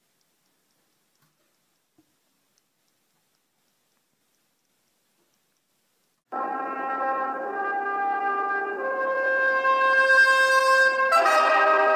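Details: Six seconds of near silence with a few faint clicks give way to sustained, swelling brass notes like trumpet and horn, and no animal sound is heard.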